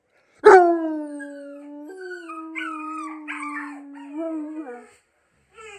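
A Bluetick Coonhound gives a long, steady howl that drops slightly in pitch, answering puppy sounds.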